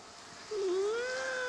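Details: Domestic cat named Kaworu Nagisa, being coaxed to meow calmly indoors: one drawn-out tonal meow begins midway, dips slightly, then rises and holds steady with clear harmonics. The background is otherwise quiet.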